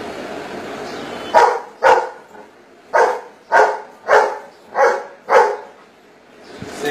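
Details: Golden Retriever doing maths, answering a spoken 4 plus 3 with seven short, loud barks spaced about half a second apart. A man's voice reads sums before and after.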